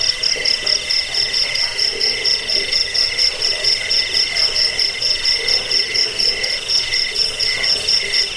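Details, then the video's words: Crickets (jangkrik) in a recording meant to repel rats, aid sleep and train songbirds: dense high-pitched pulsed chirping, rapid trills layered over a steady shrill whine, with a softer lower pulsing chorus underneath. "Suara jangkik pengusir tikus pengantar tidur"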